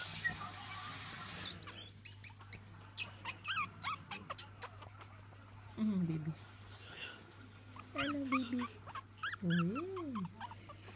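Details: Female Chihuahua puppies let out thin, arching whines that rise and fall, with short squeaky yips between them, over a constant electrical hum with a few clicks and soft rustles.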